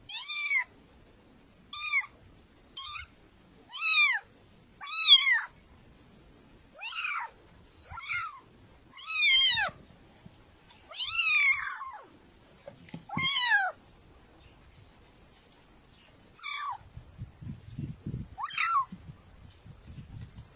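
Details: Cat giving a long series of short, clear meows, about a dozen in close succession with rising-then-falling tone, a few drawn out, then sparse meows over faint low rustling toward the end.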